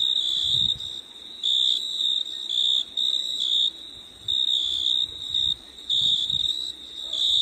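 An insect gives a high, shrill, steady trill in bursts, broken by brief pauses.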